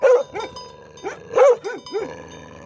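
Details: Livestock guardian dog barking for protection, working with a shepherd: loud, deep, rounded barks, about five in under three seconds, some coming in quick pairs, with a faint steady hum behind.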